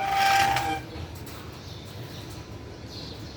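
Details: A brief, steady, flat whistle-like tone fades into low rumbling background noise, with no animal calls.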